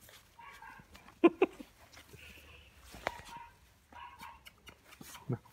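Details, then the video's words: Labrador Retriever puppies giving short, high, whining yelps in several separate bursts, with sharp knocks and clicks scattered between them. "Labrador Puppies"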